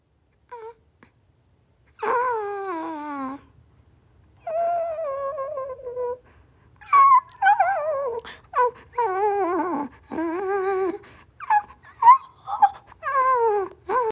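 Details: Pet dog reacting on seeing a squirrel, indoors: long, wavering high whines and yelps with rich harmonics, drawn-out cries near two to three seconds each, then a faster run of short rising and falling whimpers.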